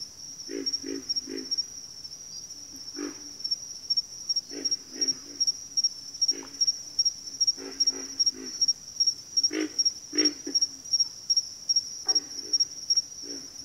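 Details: Pig frogs and water frogs calling in a backwater chorus, deep rough grunts repeated in clusters of two to four, fairly frequent across the stretch, set against a continuous shrill insect buzz with regular pulses.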